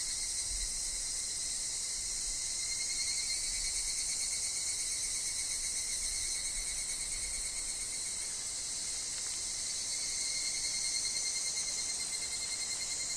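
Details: Higurashi chorus in a wood, with wind and leaf-fall sounds: shrill, finely pulsing insect calling that swells in the first half, then eases slightly, over a steady thin tone that runs throughout.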